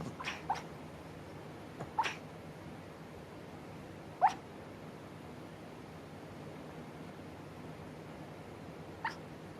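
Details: Chihuahua barking while asleep: brief, faint squeaky yips spaced a few seconds apart, a quick pair at the start, over steady low room noise.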